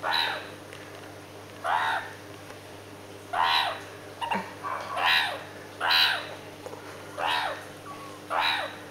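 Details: Hand-reared female meerkat chasing her aunt, giving harsh, raspy calls repeated roughly every one to two seconds.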